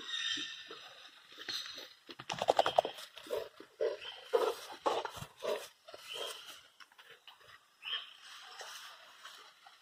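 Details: Hundred-day-old Presa Canario pups wrestling in play: rattling growl bursts, short barky yelps and grunts repeated irregularly, louder in the middle, then softer scuffling toward the end.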